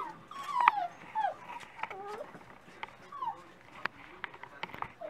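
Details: Dachshund pups at breakfast time whining in a run of thin, wavering squeals and short yelps, overlapping each other amid faint background noise.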